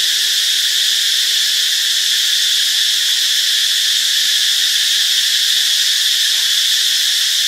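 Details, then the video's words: Ubon Ratchathani, Thailand, Friday, March 26: cicadas produce a dense, sizzling buzz, high and ringing, sustained without pause or change in volume. "เสียงจักจั่น (Cicadidae)"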